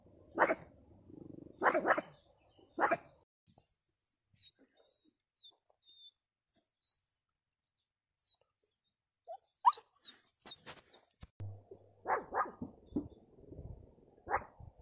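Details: Chuck, a Pomeranian, barks in three quick sharp yaps early on, goes mostly silent with faint clicks, then resumes with a cluster of short barks near the end.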